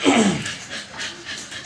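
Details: American Bully puppy, two months old and just given its second 5-in-1 vaccine, opens with a brief falling whine, then settles into soft, quick breathy pants.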